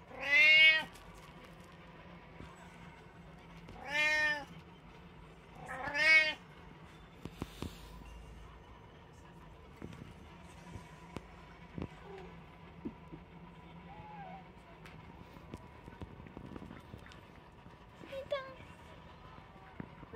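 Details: Household cat, one of three, recorded 21 September 2023, letting out three loud rising-falling meows in quick succession at the start, followed by quiet room sounds with faint clicks and a steady hum.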